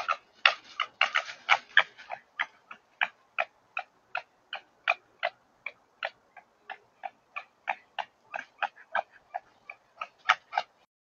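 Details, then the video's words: Two wild red foxes fighting over food in a field in Suffolk, January, winter breeding season; harsh clicking bursts, crowded and chattering at first, then settling into a steady run of about three rasps per second. "Fox fight"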